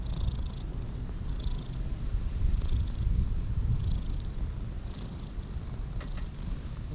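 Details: Close, continuous low purring from a cream cat and an orange tabby, park strays snuggled on a bed of grass warming each other; the rumble swells in the middle, with faint high chirps in the background.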